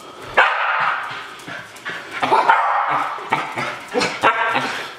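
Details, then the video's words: Excited Shetland Sheepdog dancing to go outside: rapid high yips and short barks about every half second, some whiny and rising, in a quick uneven run. "sheltie Bella dancing to go outside"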